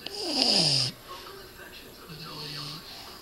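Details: Short, harsh snore from a male red Boston Terrier while he sleeps. Quiet talking trails after it.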